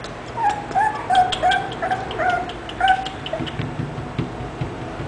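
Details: English Bulldog giving a rapid run of thin, nasal whimpers and yips, some rising then falling, about three per second before trailing off into quieter murmurs.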